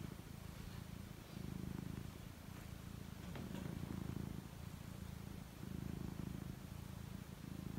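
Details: A pet cat getting ready to sleep gives a rich, low purr. Rhythmic rumbling pulses grow louder on each inhale and soften between breaths, with a light rustle midway.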